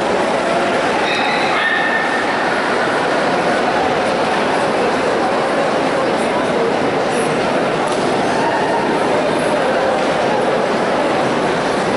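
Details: Dense, loud hall noise from a crowd with murmured speech throughout and no animal sound clearly heard.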